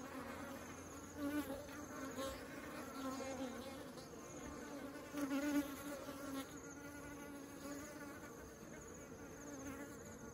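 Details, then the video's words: Honeybees bringing honey into the beehive: a steady, dense buzz of many wings humming around a low fundamental with stacked overtones, swelling briefly near the second and fifth seconds as bees pass close. "Bees are taking honey into the beehive"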